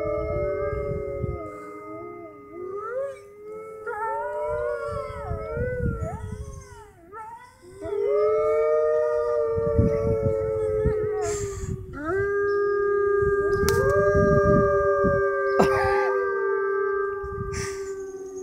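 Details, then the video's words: Wolves baying together at the Toronto Zoo's Canadian Pavilion close to closing time: wavering, quavering howls with dips and bends early on, then long steady overlapping tones, a few sharp clicks and low background rumble. "Wolves at Toronto Zoo Baying/Howling"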